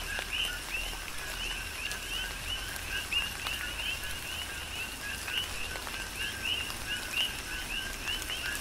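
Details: Rhythmic chorus of many coqui frogs on the Big Island, Hawaii, in a tropical rain shower; dense, unbroken stream of two-note calls, a flat low note then an upward-sweeping chirp, with soft rain patter and occasional drips.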